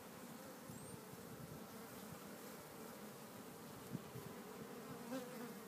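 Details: Continuous low buzz of an Italian honey bee colony in a new hive, Italian queen installed March 30, 2013, with capped brood and larvae, recorded April 27, 2013; an unbroken drone with a couple of faint ticks.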